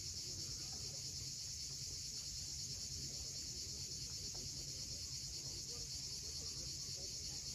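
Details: On the Crimean coast at Cape Fiolent, cicadas keep up a dense, high, hissing buzz at sunset without pause, while waves murmur low underneath.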